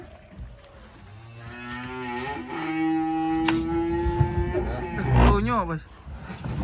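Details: Black sacrificial cow being unloaded from a truck, brought from a rural pen in Indonesia, gives a long, steady, deep moo that bends upward near its end. Background music and shuffling sounds accompany it.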